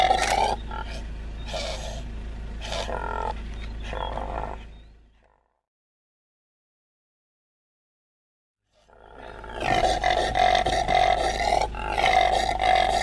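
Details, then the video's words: Common impala calling with a series of rough, pulsed roars for about five seconds, then several seconds of complete silence, followed by a louder, continuous harmonic roaring passage to the end; low hum under the calls. "Impala. Odgłosy Impali. Dźwięki Impali.Odgłosy jakie wydaje Impala.Jak robi Impala? Impala zwyczajna"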